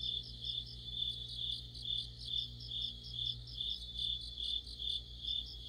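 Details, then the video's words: Autumn insect orchestra led by crickets near a streetlight, a dense shimmering high-pitched trill with rhythmic chirp bursts pulsing about twice per second above a faint low drone. "가을의 한 복판 곤충들의 합창"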